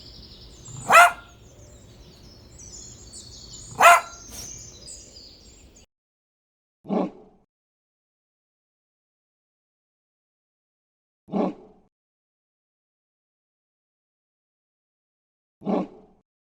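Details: Dog barks: two loud, sharp barks over background noise, then three isolated deeper barks spaced about four seconds apart in silence.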